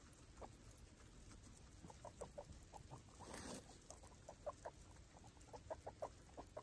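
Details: Five baby foster guinea pigs with their mother Chalupa exploring a freshly cleaned cage; short, soft clucking notes come in quick irregular runs over the rustle and patter of bedding and small feet.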